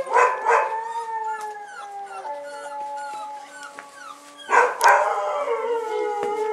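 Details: Bull Terrier pups outdoors for the first time, 18/01/2015: overlapping high whimpers and sustained whining tones, with loud yelping bursts at the start and again near the end.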